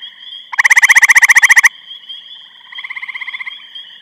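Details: A gray treefrog calls in Eastham, Massachusetts on 23 May 2012, giving a loud, musical trill of rapid pulses, followed by a softer trill.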